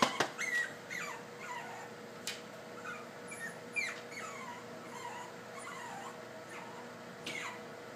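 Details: Puppies attempting stairs for their first time keep up a string of short high whimpers, each dropping in pitch, roughly every second, interrupted by sharp knocks of paws and bodies on steps, with steady indoor hum beneath.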